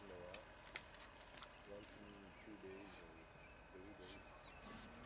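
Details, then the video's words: Spotted hyenas feeding at a kill, Vumbura, Okavango Delta, Botswana: drawn-out, tremulous whines and moans repeat across the clip, with sharp clicks and scraping noises in the background. "Spotted Hyenas at Kill"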